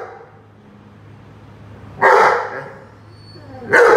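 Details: Rhodesian Ridgeback at play with a watering can, giving two loud barks nearly two seconds apart, each rough and broad with a brief fading tail, against a quiet background hum.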